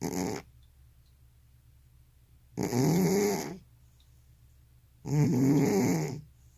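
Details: Elderly cat with sleep apnea snoring heavily: three rough, low, rumbling snores about two and a half seconds apart, separated by near-silent gaps.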